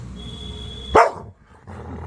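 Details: A pet Labrador Retriever gives a single sharp bark while begging for idli, a short loud burst followed by quiet room noise.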